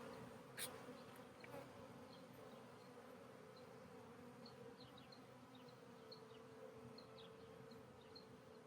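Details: Honey bees at a hive from a split during re-queening, just after the new queen flew out of her cage; a steady low droning hum with a higher overtone runs throughout, with faint high ticks and one sharp click near the start.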